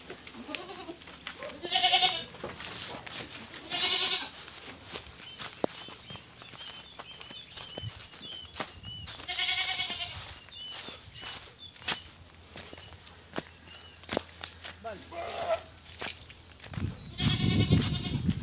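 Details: Pregnant goats kept on a backyard farm in the Philippines bleating repeatedly: loud, quavering, harmonic bleats come in bursts about every two seconds at first, then later ones after a pause, with rustling and handling noises and a few bird chirps.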